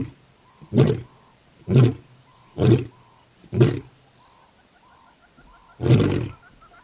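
A lion gives a series of deep, rough grunting roars, roughly one each second.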